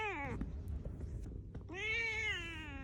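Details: Angry six-year-old female black house cat scolding its owner over poorly done rump patting: a falling meow at the start, a pause with faint thumps, then a long, level, slightly wavering meow.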